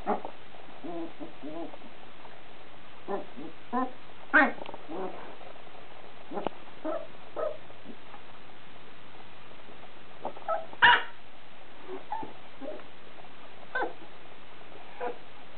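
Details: Young puppy Haru, on its first barking occasion, barking at a printer cord indoors: short, sharp, high yaps scattered irregularly, two louder ones standing out, mixed with softer whimpering sounds against low room hiss.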